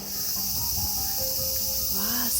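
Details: Cicadas singing in summer in Morioka Castle Ruins Park, Japan: a dense, steady high-pitched hiss-like chorus running without pause, with a man's voice speaking quietly underneath.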